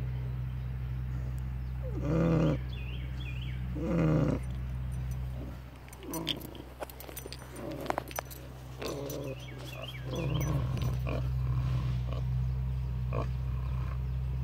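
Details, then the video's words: Pigs asleep at David Crockett Birthplace park give deep, rasping snoring breaths in spaced bursts, with quieter stretches between and a constant low mechanical hum underneath. "Snoring pigs"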